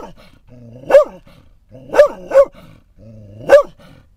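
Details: Scottish Terrier barking at other dogs seen at a Florida rest stop on I-10; short sharp barks, each starting with a low growly lead-in, four barks in about four seconds.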